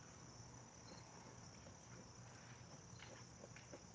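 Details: Crickets sing a steady, high-pitched continuous trill in the background at a campfire in the evening, just starting their song.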